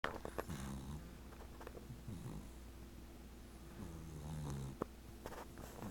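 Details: Chloe, an 18-week-old American Cocker Spaniel puppy, snoring softly while asleep and dreaming indoors; low, buzzy breaths rise and fall irregularly with faint snuffles between them, two longer drawn-out snores standing out.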